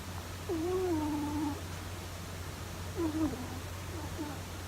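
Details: An elderly male rabbit snoring as it sleeps: a long, wobbling whistle that dips and levels off, then a shorter whistled breath about two seconds later, over a constant low hum.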